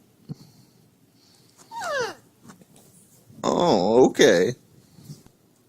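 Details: Indoors, a husky acting as an alarm clock to wake its owner gives a brief falling whine, then two loud, wavering, yodel-like whining bursts close together, with a little human speech around them in a small room.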